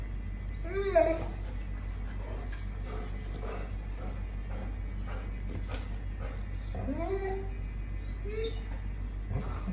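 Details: Dog whining at 6:30 in the morning, impatient for its morning walk while a second dog stays calm; brief high rising-and-falling whines near the start and twice toward the end over a steady low hum.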